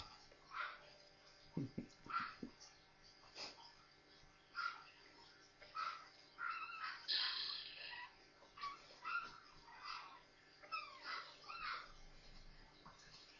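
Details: Newborn Maltese puppies, four of them, at play together; a steady run of soft squeaky whimpers and small yelps repeating every second or so, with faint background noise.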